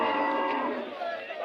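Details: Cattle at the Monday KG Temple cattle fair in Gubbi taluk, Tumkur district, Karnataka: a brief, steady, tonal moo with rich harmonics held through the whole moment, with market voices behind.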